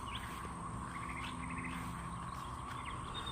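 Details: Periodical cicadas in 2024, a week after emerging from about 17 years underground, crowd the trees in a steady, high-pitched droning chorus, with scattered bird chirps over it.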